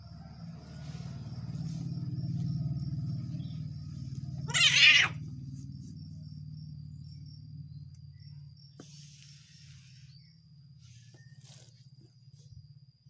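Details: Cat angry at its partner gives one short, loud, harsh hiss in the middle, over a steady low droning hum with faint high whine and a few soft scuffs.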